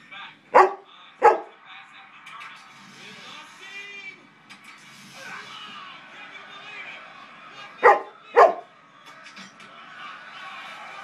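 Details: Four dogs howling together as a quartet: wavering, harmonic howls drift through the middle of the recording, broken by two pairs of sharp, loud barks near the start and again around eight seconds.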